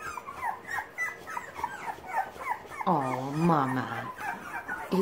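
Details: Litter of young Boxer puppies learning to use their legs and paws, squeaking in short arched whimpers, then a louder drawn-out low whine, while a woman speaks over them.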